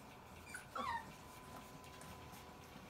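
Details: Hungry puppies from a large litter split into two groups, the noon group waiting at feeding time to be fed by Seven; one brief high whimper slides downward near the middle, over a low steady indoor hum.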